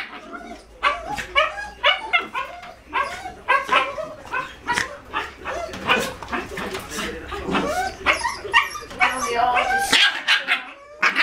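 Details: A male and a female Jack Russell Terrier, both 5-month-old puppies, in rough play: dense, overlapping sharp yips and barks, some growly, almost continuous for ten seconds, then a brief pause before a final burst.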